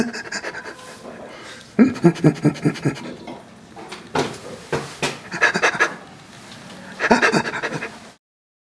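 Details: Rescued chimpanzee Burrito, living at Chimpanzee Sanctuary Northwest, answers the sound of laughter with bursts of rapid rhythmic pants, four separate groups of breathy pulses separated by short quiet gaps, recorded indoors.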